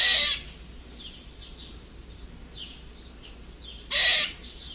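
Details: Red squirrel giving a strange squeak: a short, harsh, broadband squeal at the very start and a second matching burst about four seconds later, with faint high bird chirps in the quiet gap between.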